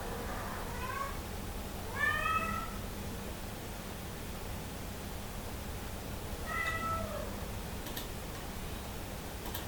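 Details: A hungry Somali cat asks to enter the living room with two fairly soft, slightly falling meows spaced four seconds apart, followed by faint clicking sounds near the end in a quiet room.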